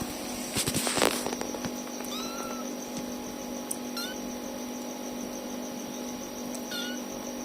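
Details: Tiny kittens crying for their mother cat. Thin, high, short mews are repeated every couple of seconds over a steady electrical hum, with a burst of rustling handling noise near the start.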